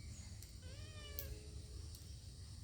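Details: A cat from a mother-and-kittens household makes one short, soft meow with a slight wavering pitch, half-buried under a low background rumble, with a person speaking before and after.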